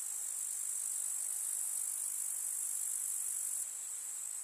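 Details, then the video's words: Summer meadow in the countryside, full of grasshoppers: a continuous shrill, high-pitched stridulating hiss from many insects, unbroken throughout and slightly quieter for the final second. "КУЗНЕЧИКИ. Слушать звуки летнего луга"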